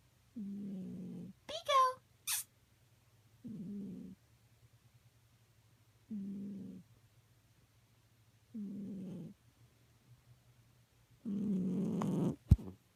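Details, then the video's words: Snoring from a sleeping cat: short buzzy rasps on each breath, five in a row about every two and a half seconds, with a few brief squeaks and a clatter near the end. "Cat snore"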